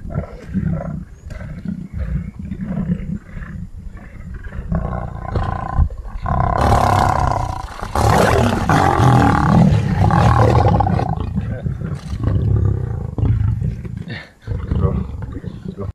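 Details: Lion roaring: deep, heavy, rumbling vocal bursts that build into a loud, rough, broadband roar in the middle and then fade back into low grunting pulses.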